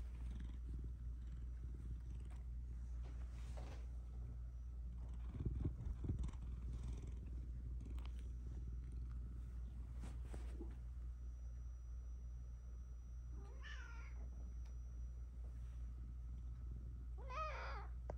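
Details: Domestic cat purring during a cat therapy session: a steady, low, continuous rumble runs the whole way through, quiet and close, with a brief louder bump midway and two short, higher, wavering vocal sounds near the end.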